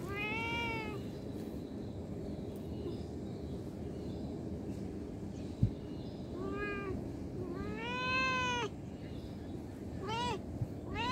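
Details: Cat, from a compilation that includes street and abandoned cats, giving several harmonic meows with a drawn-out arched shape, spaced irregularly across about eleven seconds over a steady low background hum, with one sharp click midway.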